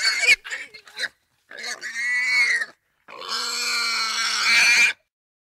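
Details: Russian wild boar giving a series of squeals. A short choppy burst is followed by two long, strained, nasal squeals lasting about one and two seconds. The second rises slightly in intensity toward its end.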